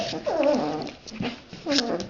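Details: Red Standard Poodle puppies playing with their father. Low, drawn-out, whiny growling notes come in three bouts, each sliding and wavering, with brief pauses between.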